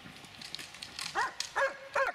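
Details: Dobermann aged eight years and six months giving three short, sharp barks in quick succession near the end, after a quiet start with faint background noise.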